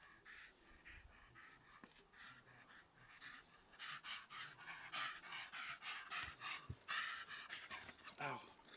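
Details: A male dog panting during a game of ball, quick breathy bursts repeating in a steady rhythm about every half second, growing louder midway, with a man talking and praising the dog between breaths.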